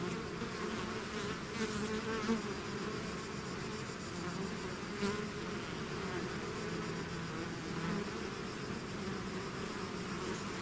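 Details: Hive swarm of bees in full flight, a continuous low buzzing drone with single insects zipping nearer around two, five and eight seconds, their pitch briefly rising over the dense background hum.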